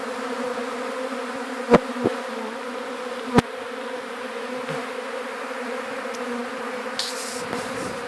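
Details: Gentle honey bee swarm being caught for an alternative hive: a continuous even droning hum with a few sharp clicks and knocks, light rustling near the end.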